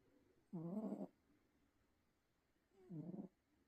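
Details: A sleeping house cat snores loudly, giving two harsh, rattling half-second breaths about two seconds apart, with near silence in between.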